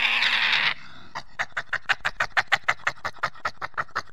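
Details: A harsh badger screech opens, followed by an even series of about twenty rhythmic grunting pulses, roughly three per second.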